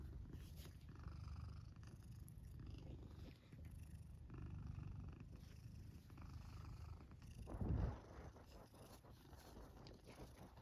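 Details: Black house cat sleeping in its fort, snoring and purring: deep rhythmic rumbling that swells and fades with each breath, broken by a brief louder shuffle near the eighth second.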